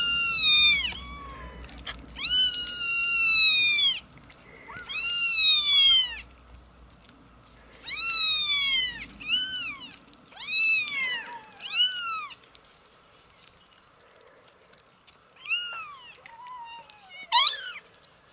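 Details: Tiny 27-day-old kittens give a run of clear, loud, arched meows, each rising then dropping, about one every second or two before fading into softer squeaks.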